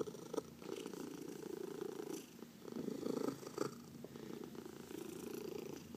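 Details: Domestic cat purring while being massaged, one of four cats filmed indoors; a steady low rumbling purr with soft breathy pulses, swelling louder around the third second, in a quiet room.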